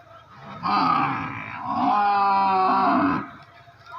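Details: Buffalo giving one long, loud bellow of about two and a half seconds, a deep harmonic groan that swells, dips briefly midway, then holds steady before cutting off, over a faint steady background hum.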